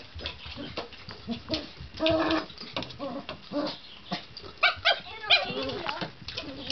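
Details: Male poodle weighing seven pounds, excitedly pushing a teaser ball around a coffee table and other obstacles, gives short happy yelps and whines between thumps of the ball and household clatter.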